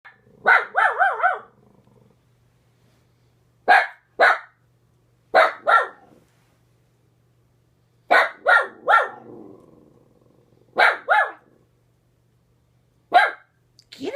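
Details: Dog barking at a neighbor seen out the window: short bursts of two to four loud, harmonic barks, each group separated by a few seconds of quiet, roughly seven groups in all.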